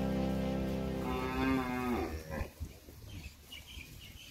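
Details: Village cattle out in the countryside fields, where they roam freely while farmers harvest rice, going to eat: one long harmonic moo that swells and rises slightly around its middle and stops after two seconds, followed by quieter rustling and shuffling.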